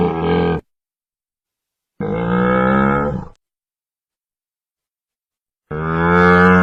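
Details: Camel calling in three separate deep, rough groans, each about half a second to a second and a half long with rich buzzy overtones, separated by silent gaps.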